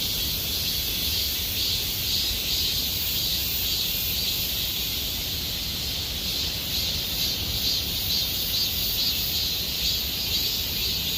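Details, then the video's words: Many cicadas droning in Gomsol Nuri Forest, Sihwa district, late summer: a constant high-pitched sizzling buzz, gently pulsing in waves, steady from start to finish over distant low background rumble. "곰솔누리숲의 매미소리 Cicada sound of Gomsol Nuri Forest"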